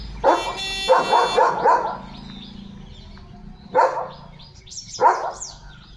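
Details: Pet German Shepherd dog at home, excited before an unboxing; a few loud barks in quick succession near the start, then two more single barks after a pause, with faint background noise.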